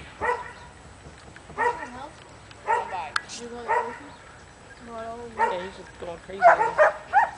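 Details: At a herding training clinic, Luther, an almost three-year-old Border Collie/McNab cross, excited after a long trailer ride, gives separate yelping barks spaced a second or so apart, with a person speaking in between.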